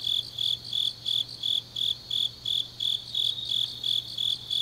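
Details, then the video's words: Grass insects calling deep into an autumn night at Changnyeong, Korea; bright high chirps pulse steadily near three per second while other distant insects trill above, over a soft low-pitched hum. "깊은밤 가을 풀벌레 소리"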